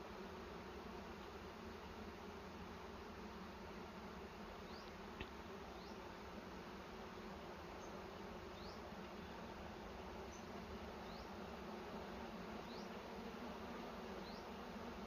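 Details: Honey bees droning at their nest in a cashew plantation while honey is taken, an even broad hum throughout, with thin high upward chirps repeating through the second half.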